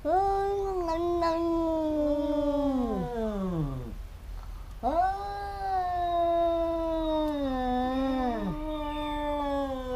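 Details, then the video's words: Fighting cats, a pair that clash again and again, trading long moaning howls. Two sustained wails of about four seconds each waver and then drop in pitch at their ends, with a brief silence between them. "แมวกัดกัน คู่นี้เหมือนลิ้นกับฟัน กัดกันเรื่อยๆ cats fighting"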